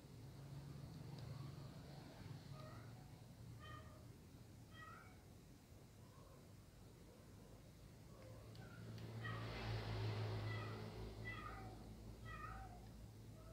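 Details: A kitten watches a hungry male cat eating dry food; soft, high meows repeat in short bursts through the scene over a steady low hum, with a brief louder rush of noise near the end.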